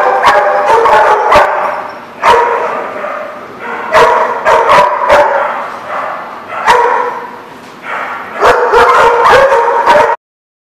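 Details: Dogs barking at a dog facility, loud sharp barks in irregular bursts, often in quick pairs or triplets, with a continuous chorus of yapping and noise between them.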